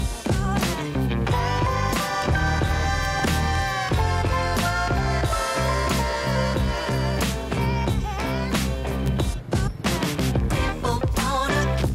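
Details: Funky music with steady bass and drums fills the whole recording, with no animal sounds. No calls rise above the band at any point.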